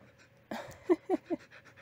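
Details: Blue, a female Siberian Husky, pesters her owner during an afternoon rest with a book. A breathy onset is followed by three short, low, whining vocal bursts in quick succession, then soft breathing.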